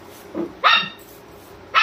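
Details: German Shepherd waking his owner with barks indoors: a quiet low woof, then a loud sharp bark, a second of near silence, and another sharp bark starting at the end.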